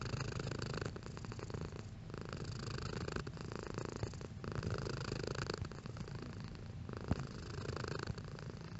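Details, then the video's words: Domestic cat purring at varying intensity: a continuous low rumbling drone, pulsing in slow waves as the cat breathes in and out, with soft breathy gaps roughly every second or so; quiet indoor setting, no other sounds. "Cat Purring Sound Effect"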